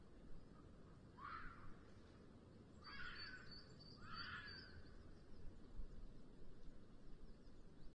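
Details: Red fox in the mating season at the end of the afternoon in Sierra de Guadarrama National Park, Spain, caught by a webcam at a black vulture nest: three hoarse, rasping screams known locally as 'chilla', over steady rural background noise.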